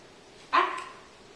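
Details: Ten-week-old female Miniature Australian Shepherd puppy in her first week of obedience training barks once, a single sharp, bright bark that fades quickly, with a woman speaking training commands and praise just before and after.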